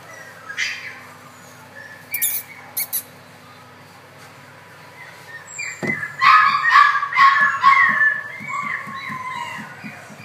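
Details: Chocolate female Poodle indoors giving high whining yelps, a few short cries early then a longer run of rising and falling whimpers in the latter half, with a steady low ticking rhythm underneath.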